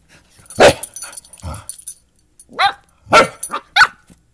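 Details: Young dachshund learning to bark from a large mutt during play, her first barks; a dull thud-like woof, then a pause and three quick high yaps rising in pitch near the end, in a quiet room.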